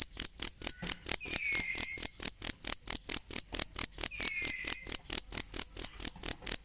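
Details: Cricket chirping for songbird training: piercing, high trills in regular bursts, roughly one and a half per second, while two faint descending whistles sound softly behind.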